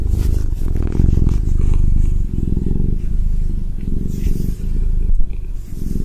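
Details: Ragdoll cat purring close up, a loud, steady low rumble with rapid pulsing, swelling and easing with each breath about every second, faint rustles near the end.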